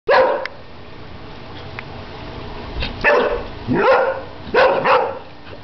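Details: Airedale Terrier on his first birthday barking at bubbles; a sharp bark opens, then scattered single and paired barks near the three- and five-second marks with quiet gaps between.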